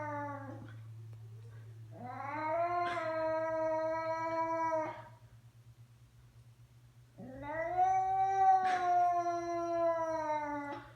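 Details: A pet cat making strange noises: long drawn-out harmonic yowls, one short call then two sustained wails of about three seconds each, rising at the start and slowly falling, separated by a quiet gap, over a steady low hum.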